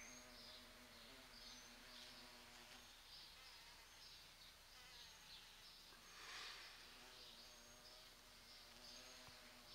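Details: Large bumblebees pollinating the fragrant, rose-scented flowers of a sete capotes tree (Campomanesia guazumifolia) in a garden, in mid-November when it first blooms. A low droning hum with strong overtones comes and goes as insects pass, over soft background hiss.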